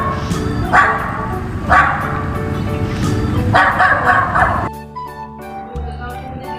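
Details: A dog barks three times, about a second or more apart, over steady background music; the music carries on alone at the end.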